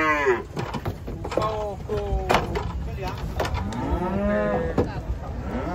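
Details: Cattle being unloaded from a truck give several overlapping moos: short rising and falling lowing calls over the first seconds, then a longer bellow near the end, with thuds and knocks of hooves and metal throughout.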